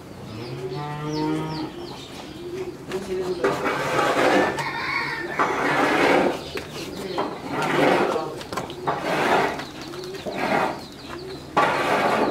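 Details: Friesian heifer, three months pregnant, for sale in Pabna, Bangladesh, gives a long low moo with a clear harmonic stack over about a second and a half, followed by farmyard clatter, people talking and further bovine calls.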